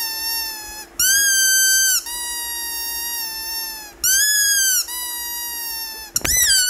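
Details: Indoors in India, Rhodesian Ridgeback puppy Leo whines, upset that his squeaky toy is withheld; drawn-out nasal tones, some dipping then holding level, repeated every one to two seconds, ending with a sudden thump.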